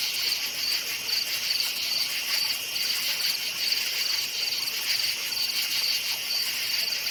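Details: Crickets calling in a forest at night, their high, pulsed chirps recurring at a fairly even pace, about once a second, over a dense shimmering insect drone.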